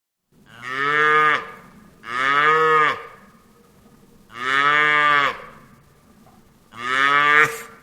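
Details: Cow lowing in four strong, evenly spaced moos, each roughly a second long with rich harmonics and a slight falling end, separated by short quiet pauses.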